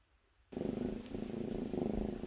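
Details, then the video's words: Sleeping kitten snoring loudly at dawn: a sudden onset of low, rough, rapidly pulsing rumble that continues steadily with regular swells of loudness. "새벽마다 날 깨우는 아기고양이 드르렁 드르렁 소리"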